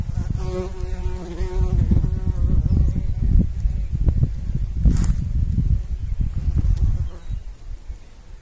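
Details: Bumblebee buzzing while pollinating: a steady low hum with clear overtones for nearly two seconds, then a shorter burst, over rumbling wind-like low noise and a brief click.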